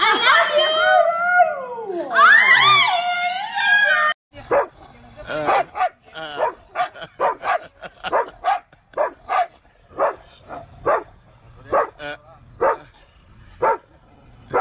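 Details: Siberian Husky in a funny reactions compilation: a long sliding, whining howl with rising and falling harmonics for about four seconds, then a string of short, sharp yips or barks repeated roughly every half second.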